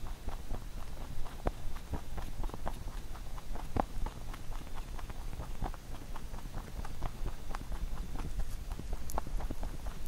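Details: A pet rabbit eats a carrot songpyeon (rice cake) made for Chuseok, a fast run of soft, crisp crunching clicks over a low background rumble.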